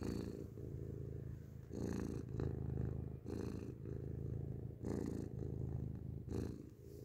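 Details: Grey cat purring loudly right next to the microphone, a thick low vibration that swells and dips about every one and a half seconds with each breath, with airy breath noise at the changes.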